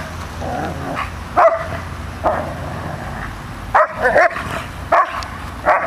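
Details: Dogs, an Airedale Terrier named Rocco and a Labrador named Molly, facing off: a few loud, rough barks come in short bursts around the middle and end, with a low steady hum of background noise between them.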